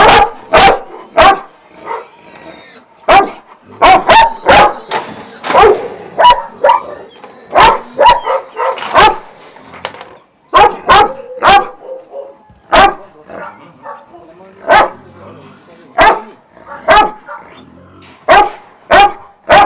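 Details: Vujanski-lineage Šarplaninac dogs, twelve at a kennel in Jasika near Kruševac, Serbia, barking in bursts: clusters of heavy, resonant barks, a brief lull midway, then evenly spaced single barks about every second.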